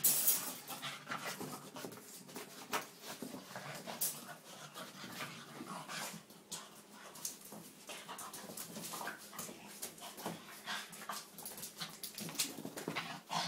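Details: Boston terrier Piper, two years old, having one of seven epileptic seizures in three hours at night; fast ragged panting and scraping clicks run continuously, with occasional faint whimper-like notes and louder spikes.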